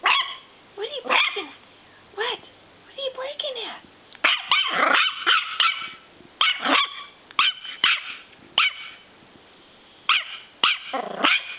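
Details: Cagney, a purebred miniature schnauzer puppy about nine weeks old, kept indoors at home: sharp high yips and barks in short clusters with pauses between, some rising squeaky notes, a person's voice faintly mixed in.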